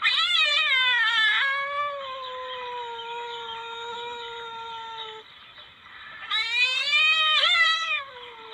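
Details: Palm civet call used as a hunting lure: two loud, harsh, quavering wails, one at the start and one near the end, joined by a long, steady, slowly falling whine in between.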